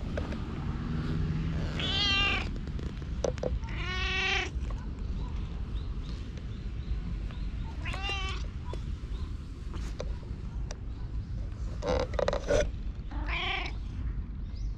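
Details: Stray community cat in a park in Japan, GoPro recording, meowing insistently: a series of quavering, harmonic meows spaced a few seconds apart, some shorter and strained, over continuous low-frequency background rumble and occasional clicks.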